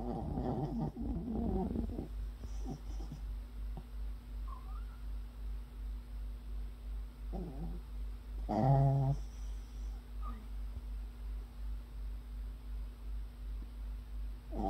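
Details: Dozing puppy with a low, throaty snore pulsing quickly and unevenly, several short squeaky, harmonic snorts mixed in, and rustling at the start over a faint steady hum.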